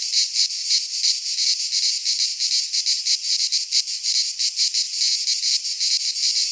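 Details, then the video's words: Cicadas singing in midsummer in a Greek pine forest: a dense, continuous high buzzing chorus with rapid pulsing throbs, about three per second, steady loudness and nothing else audible. "Cicadas singing in midsummer - Nature sounds from the Greek fauna - Sounds of cicadas"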